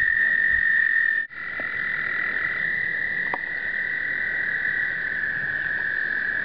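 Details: Breeding chorus of American toads during explosive breeding in 2009, recorded on a pocket point-and-shoot camera: sustained high ringing trills run unbroken, with a brief dropout early on and a few soft clicks.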